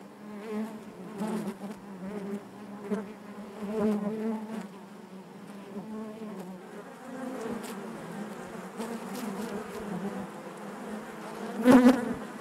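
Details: Honey bees buzzing inside their hive, a dense steady hum with layered low drones that swell and fade, scattered clicks and brief louder surges near the end.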